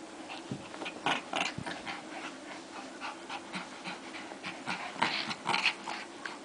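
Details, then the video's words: Two dogs locked in a fight, a steady run of gritty growls and snapping snarls rising and falling in short bursts throughout. "Two Crazy Dogs Fighting"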